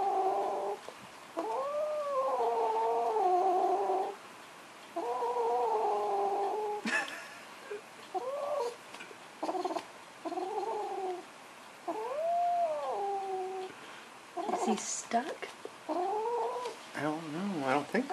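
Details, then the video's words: Foster kitten indoors, growling at a blanket: long wavering drawn-out yowling growls, some arching up and down in pitch, broken by pauses, with brief rustling and a few short cries near the end. "Kitten growling at blanket"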